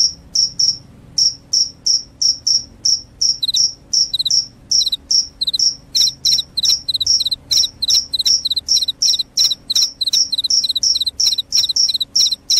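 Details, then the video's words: Cricket calling loudly, a sound said to drive away rats and bring on sleep: short high-pitched chirps in steady bursts, about two to three per second, with a second slightly lower tone joining midway. No other clear sounds. "SUARA JANGKRIK PENGUSIR TIKUS, JANGKRIK JANGKRIK SUARA NYARING BIKIN NGANTUK"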